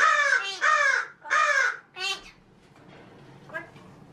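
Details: Male pet magpie imitating human speech: three loud, rounded, voice-like syllables with clear tonal layers, then a shorter note trailing off into quiet room noise.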